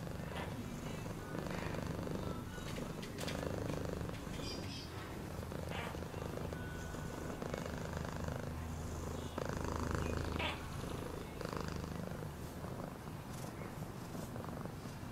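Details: Sustained deep purring from a cat, rumbling steadily with slight swells in loudness, accompanied by occasional faint rustles and short higher-pitched background sounds.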